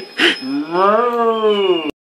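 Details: Male Alaskan Malamute in a Welsh home howling along as its owner sings the sheep song: a smooth, tonal howl that rises gently, holds, then slowly falls for over a second before cutting off abruptly.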